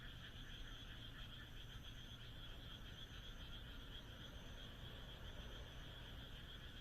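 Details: A moonlit country night in Japan with a continuous frog chorus of fast, rattling pulsed croaks layered in two pitches, a steady deep background hum, and a faint high whine fading in and out.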